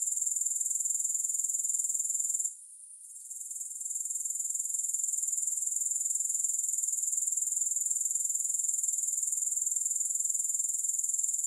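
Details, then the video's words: Grasshoppers keep up a bright, rapid-pulsed buzzing at a high pitch. A short hush around the middle of the third second gives way to the same steady chorus, with no music. "3 Hours of Grass Hopper Sounds"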